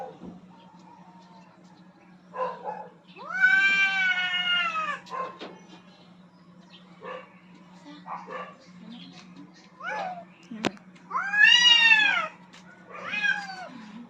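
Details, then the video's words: Rooftop standoff of two aggressive cats fighting for dominance: drawn-out strained yowls rising and falling, separated by quieter gaps with scattered faint sounds and a sharp click, over a low background hum. "Cats Fighting for dominance at the roof top"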